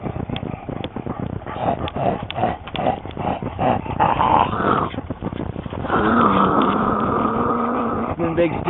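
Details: Dogs, among them Duchess and Olsen, playing with a stick at Fountain Lake: short rough growls under a man's talk, then a drawn-out tonal growl lasting about two seconds, with rustling and scuffing in the background.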